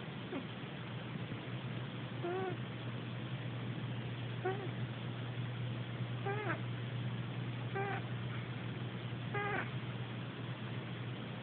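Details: A sleeping cat snoring, recorded on an Android phone; a short squeaky, whistled note with harmonics comes with each breath, roughly every one and a half to two seconds, over a steady low hum.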